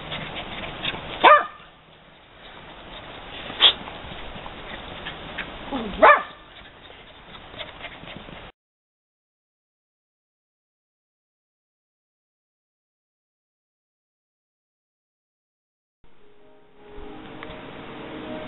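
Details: Dachshund giving three short, sharp yips spaced about two and a half seconds apart over a rumbling indoor background, followed by a long silence and then faint noise.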